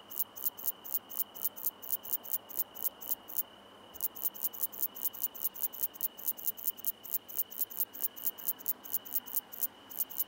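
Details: Song of the Common Slender Bush-cricket, Tessellana tessellata, at Freiburg, Germany, 9 September 2021: thin, very high ticking pulses about four per second, one short break, over a steady background hiss and a constant whine.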